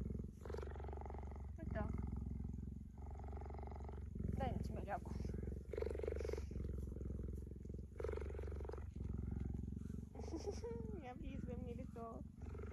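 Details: Cheetah lying on a person on a sunny day, licking their hands and behaving tenderly. Continuous low pulsing purr runs throughout, with a woman talking softly over it and a few higher squeaky chirps near the end.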